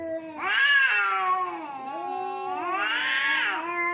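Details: Fighting cats trade wavering, moaning caterwauls, two swelling peaks of loud harmonic yowling joined by a lower sustained growl.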